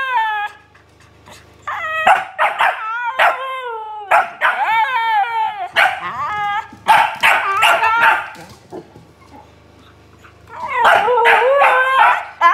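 A Siberian Husky answers a barking dog with bending, yodel-like howls and groans.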